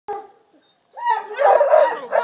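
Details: Eight-week-old Redbone Coonhound puppies, with a four-month-old female Black and Tan present, give a brief high yelp, then drawn-out whining cries.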